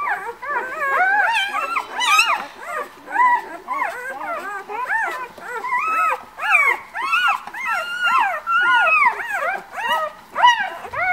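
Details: Several White Swiss Shepherd puppies from a litter born 11 August at a breeding kennel, whining and squealing together in dense overlapping bursts, arched high-pitched cries rising and dipping in quick succession.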